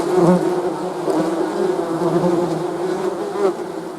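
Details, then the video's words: Droning buzz of honey bees, a steady low layered hum that swells at the start and again briefly toward the end. "Bee's Buzzing"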